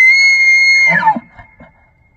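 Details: September rut in Banff, Alberta, Canada: a bull elk, announcing it will fight to keep its females, holds a loud pure high whistle for nearly a second before it breaks downward into gruff grunting chuckles.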